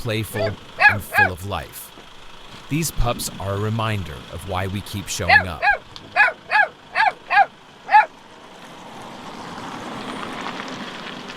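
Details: Rescued dog with a collar embedded in its neck cries out in a run of sharp, high, tonal yelps. An early burst is followed by about six evenly spaced cries near the middle, then only a low steady hum. Human voices come in between.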